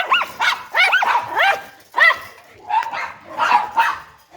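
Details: Several dogs barking together, the clip drawn from a set of breeds that includes Labrador retriever, shih tzu, German shepherd, poodle, pug and rottweiler; short arched yelping barks in quick bursts, some overlapping, about eight barks in four seconds.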